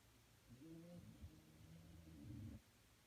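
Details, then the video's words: Punchi, a pet dog, snoring while asleep: one long, low, rumbling drone with a buzzy, throaty texture, swelling slightly and lasting about two seconds before stopping abruptly. "Dogs snore like a old man lol"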